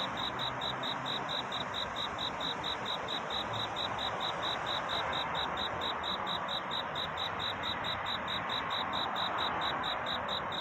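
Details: Cricket singing at night in search of a mate: a steady stream of short, high, pulsed chirps, about four a second, unbroken over a constant soft hiss.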